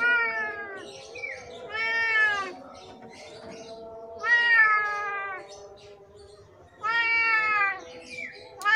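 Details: Sick, hungry and thirsty cat with severe scabies, come to a house crying for help in Indonesia: three long, loud harmonic meows, each drawn-out and slightly falling, spaced about two to three seconds apart, with a steady background hum.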